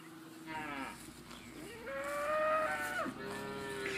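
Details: Holstein Friesian cows mooing: several long tonal moos with clear harmonic bands, one rising then held steady before dropping off near the end, overlapping calls at different pitches.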